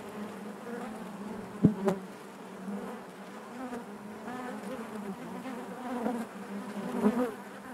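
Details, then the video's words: Honey bee colony droning within the hive, a steady low buzz punctuated by a sudden sharp click early on and softer bumps later. "bees therapy hive natural buzzing sound"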